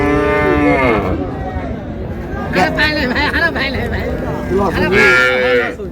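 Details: Cows with calves at Raniganj haat cattle market in Dinajpur, July 2, 2026: a long, drawn-out moo opens, then further lowing bursts near the middle and end, over steady crowd chatter and bargaining voices.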